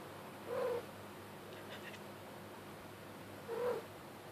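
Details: Playful kitten under blankets chasing fingers gives two short, clear chirruping trills about three seconds apart over a quiet indoor background, with a faint soft rustle in between.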